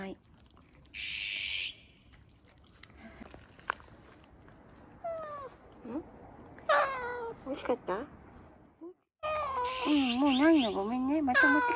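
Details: Stray cat from a car park in Japan, after finishing a lickable treat from a person; scattered falling meows, then a long wavering drawn-out cry, while a woman talks gently to it.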